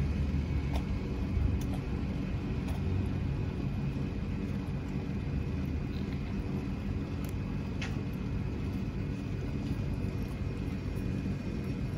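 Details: Steady low rumble of road traffic on an Istanbul street, with faint clicks and no animal voice.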